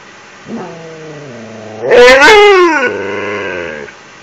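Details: Siberian Husky in a nightly routine of begging for an empty toilet paper roll. A low, wavering whine climbs into a loud, high, yodelling howl that bends downward, then eases into a steadier moaning whine before stopping.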